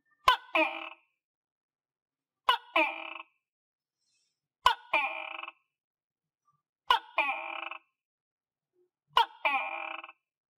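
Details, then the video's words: Captive tokay gecko, fed on crickets, calling. Five loud calls come at roughly two-second intervals. Each opens with a sharp click, followed by a harsh, nasal, strongly harmonic two-part syllable. The background is quiet. "Nghe Tiếng Tắc Kè Kêu - Tokay Gecko Eat Crickets And Gecko Sound Effect"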